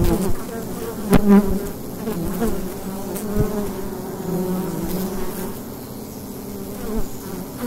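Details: Wild hive entrance in fall daylight, bees producing a constant droning hum, with a loud close buzz near the start and quieter passing buzzes later.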